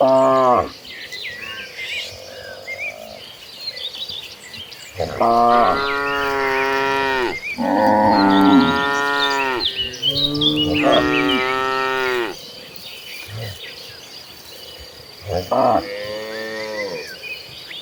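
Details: Several mooing cows from a herd running across green pastures, calling in a quick series of strong, wavering harmonic bellows, some overlapping, with birds twittering behind and quiet gaps between.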